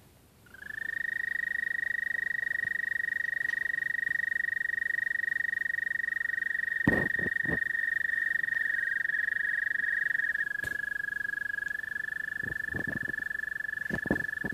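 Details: American toad love song: a long, steady, musical trill held near one pitch, rising in at the start and lasting about ten seconds, then a second trill overlapping slightly lower, with a few sharp clicks.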